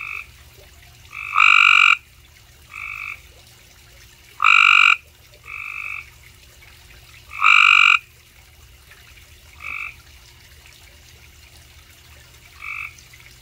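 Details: A Cope's gray treefrog in Mooresville, North Carolina, gives short, harsh buzzing trills about every three seconds, with fainter calls in between.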